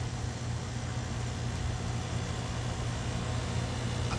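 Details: A steady low engine-like hum with broad background noise, and no animal sound.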